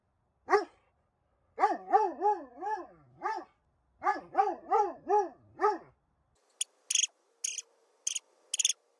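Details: Dobermann with severe separation anxiety, unable to stay alone even a second, giving a series of wavering whining yelps in rising-falling arcs, followed by sharp clicking knocks.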